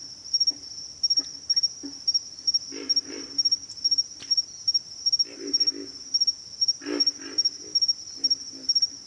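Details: Pig frogs grunt in low, gravelly bursts, some single and some in quick runs of two or three, under a constant piercing insect trill.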